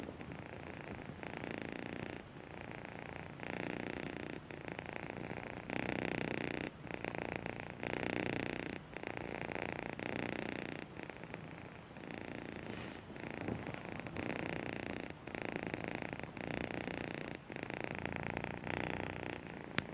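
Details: Close, loud purring from Melissa, a house cat raised from a two-month-old kitten, throbbing in regular surges roughly every second and a half as her breathing goes in and out.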